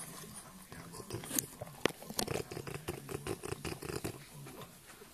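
A French bulldog makes a run of low, rapid grunts and snuffly snorts.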